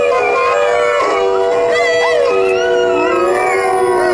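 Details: A group of dogs howls at once, one held steady tone under several higher voices that bend and slide up and down, weaving together for the whole stretch.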